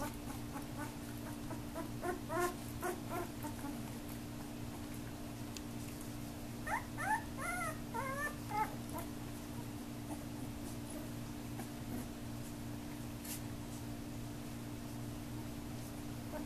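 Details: Puppies of Lisa and Thriller, growing active, playing and biting indoors: high, bending yips and whimpers in short bursts, a few early on, then a quick cluster of four or five yelps, over a steady low electrical hum.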